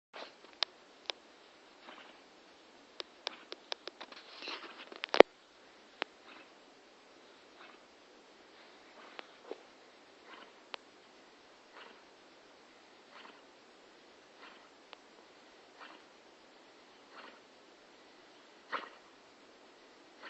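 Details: A sleeping female Staffordshire Bull Terrier snores in soft, breathy, horse-like rasps about every second, waking the two other dogs in the household.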